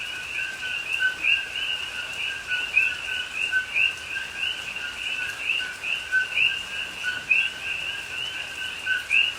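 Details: Coqui frogs calling at night in rain in a Hawaii rainforest at Pahoa, October 2021: a dense chorus of many overlapping two-note co-qui calls, a lower note followed by a higher rising chirp, with a steady soft hiss of rain.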